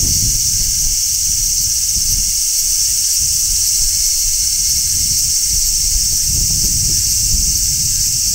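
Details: Large brown cicada singing on a tree in midsummer: a steady, dense shrill hiss, high and unbroken throughout, with low rumbling wind or handling noise underneath.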